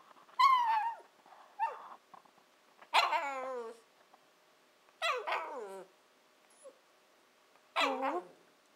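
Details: Female Shiba Inu puppy aged 14-15 weeks "talking" to her owners, a habit that often signals she wants breakfast or dinner; five drawn-out, warbling whine-yowls, rising then falling, spaced a couple of seconds apart, with quiet pauses between.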